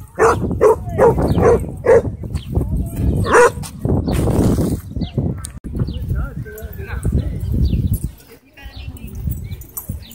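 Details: Barking dog at a dog park where a Bull Terrier and German Shepherd clashed; a quick run of sharp barks in the first seconds gives way to voices, a rushing noise and scuffling.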